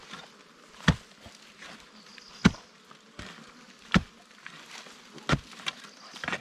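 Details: Wild bees at a nest dug out during a Thai honey hunt: a low, steady humming buzz runs beneath sharp, irregular thuds and knocks of digging, about one every second or two, with faint rustling between strikes.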